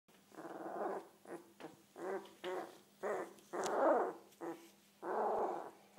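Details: One-week-old Komondor puppy producing a series of short, muffled, growly grunts and whimpers in uneven bursts about a second apart, with a steady low electrical hum underneath.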